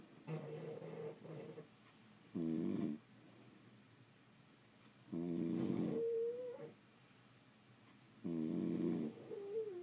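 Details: Several sleeping French Bulldogs snore in a small room, with loud rasping inhalations about every three seconds and whistling, whiny exhalations between them.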